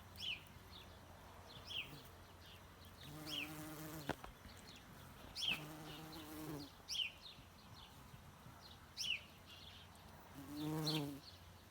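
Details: Bumblebee, also called greenhouse bee, buzzing in short bouts of a low droning hum, about a second each, separated by pauses, with small birds chirping repeatedly in the background.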